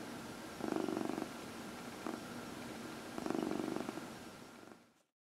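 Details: Dinah, a 14-year-old adopted female cat with past hyperthyroidism and surgery on both knees, purring during her early evening lap-time massage; soft, fine-pulsed rumbling in three bursts, two longer phrases around a brief one, over faint room hiss.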